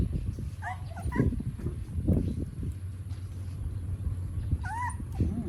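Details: Puppies drinking milk in the morning in Siem Reap, Cambodia: a few short, high whimpering squeals that rise and fall, one pair early and another near the end, over a steady low hum and faint background voices.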